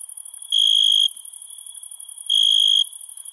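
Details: Crickets calling at night: two loud, shrill, half-second trilled bursts about 1.7 seconds apart, over a steady, high, finely pulsing insect chorus.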